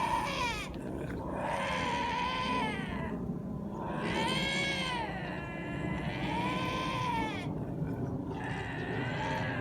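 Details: Several lynxes making weird, humanlike growling sounds: a series of four wailing, arched yowls, each swelling up and sliding down in pitch, over a constant rumbling background.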